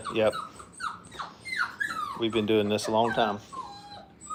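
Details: Five-week-old Brittany puppies in a playpen for the first time, giving high, thin whimpers that slide downward, with a human voice talking briefly in the middle.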